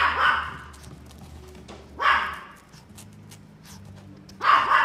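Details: A male Yorkshire Terrier, steel blue and tan, born 8 May 2018, gives sharp, high-pitched barks spaced roughly two seconds apart.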